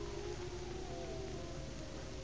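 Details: Four wolves at sunset in winter, by the road in northern British Columbia near Toad Mountain, howl in long, steady, slightly falling tones over a heavy low rumble of wind or engine.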